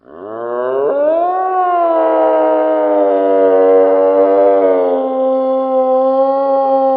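A moose calls with a single sustained, wailing moan lasting several seconds. The rich, nasal tone rises at the start, then holds level with a slight waver before fading.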